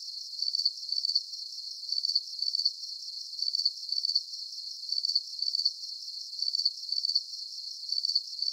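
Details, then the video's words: Crickets give steady, high, buzzy chirps in short pulsed bursts about every half second to one second, a lulling insect rhythm meant for deep sleep, otherwise silent. "Calming Cricket Sounds"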